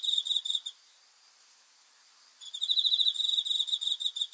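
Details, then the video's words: A cricket chirps at night in rapid, high, ringing pulses, pausing briefly before resuming its steady trill; recorded 5 August 2020. "귀뚜라미 소리 풀벌레 울음소리 수면 도움 자연의 소리 야간 곤충 우는 소리 잠오는 소리"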